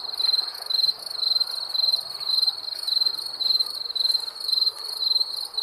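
A cricket gives steady, high trilled chirps, about two each second.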